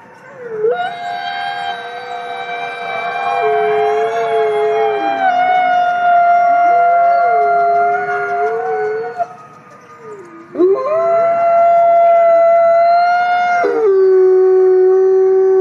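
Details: Wolves in a forest howling to communicate with one another: several long, overlapping tonal howls, one steady and high while another wavers and dips lower, a brief break near ten seconds, then the chorus resumes.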